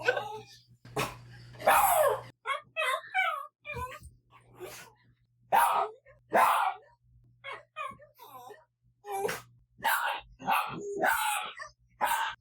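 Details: Daikichi, a quiet pet dog who rarely barks, gives lonely-sounding whines in reaction to other dogs or noises: short wavering, warbling tonal cries in uneven bursts, with brief breathy noises between them.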